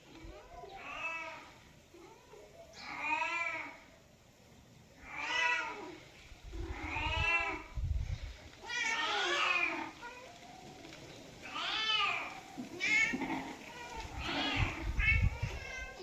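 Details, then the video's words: Cat meowing repeatedly, a series of drawn-out, wavering meows roughly every two seconds, some rising then falling, with a few overlapping shorter mews and occasional low thumps near the end. "Cat meows sound effects"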